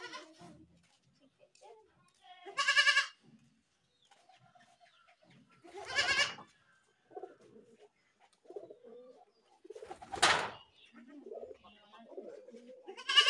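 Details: Goat bleats scattered through a quieter stretch: short wavering cries near three and six seconds, a harsh noisy burst at ten seconds and another call at the end, with soft low murmurs between.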